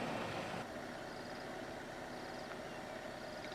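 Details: A vehicle engine idles and rumbles steadily throughout, with a broad background hiss. No animal voices stand out above the noise.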